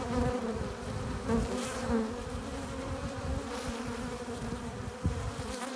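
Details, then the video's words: Bees crowding a hive entrance, coming in with pollen and nectar, produce a thick steady hum; individual passing bees add brief higher whines over the constant low buzz, with a soft knock near the end. "15 minutes of bee hive entrance! Relaxing sounds! Buzzing sound efects"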